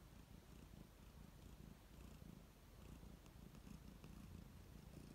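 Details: Close-up purring of a relaxed domestic cat, content and calm: a deep, continuous throbbing purr with a gentle pulsing rhythm that swells slightly on each breath cycle.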